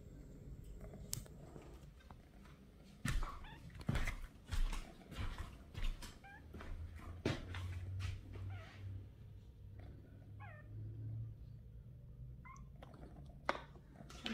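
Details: Pinky, a 28-day-old kitten born on August 3rd, begins leaving her nest and runs after her owner while meowing. A few thin, high, wavering mews rise and fall amid loud rustling, tapping and knocking indoors.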